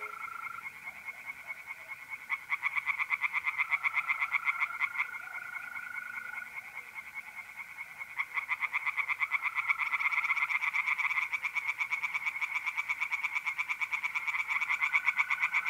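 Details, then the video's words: Night chorus of tree frogs in a pond in north-east Italy, mid April: dense rattling bursts of quick, high pulses that swell louder partway through, with the smooth, unbroken buzz of mole crickets running underneath. "relaxing singing tree frogs in pond"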